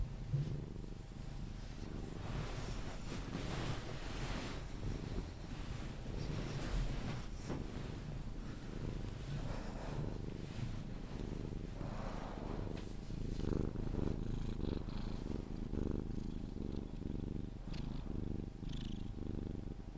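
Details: Cuddled Sphynx cat purring as it settles toward sleep, a low rumbling purr less evenly pulsed, partly masked by rustling and handling sounds throughout.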